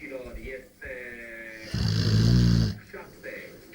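A Rottweiler gives a deep, rumbling, pig-like snore lasting about a second, with a voice talking around it.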